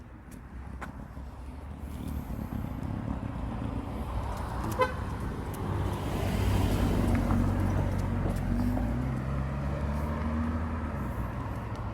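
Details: Road traffic rumble with a car engine and a short horn toot near five seconds, no animal voice.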